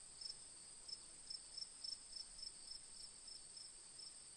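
Crickets chirp in high, thin pulses, repeating several times a second over a steady background trill.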